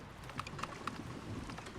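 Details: Wild sperm whales, probably socializing at the surface miles away and picked up on a hydrophone, give a communication coda: a few sharp, evenly spaced clicks over a low underwater rumble.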